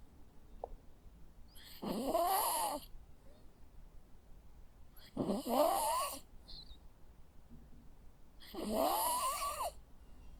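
A sleeping Jack Russell Terrier snores in slow, rasping breaths about every three seconds.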